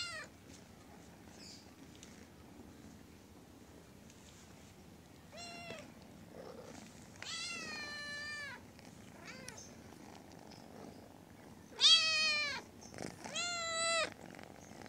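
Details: A little pet cat, a kitten, meowing indoors: several drawn-out, harmonic meows that arch up and fall, a short one first, then longer, louder cries near the end, with quiet rustling between them.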